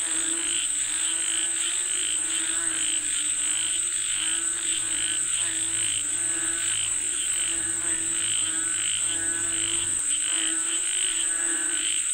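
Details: Frogs croaking for rain form a rhythmic, throaty chorus of repeated pulsed notes, layered over a constant shrill insect drone and a faint low hum.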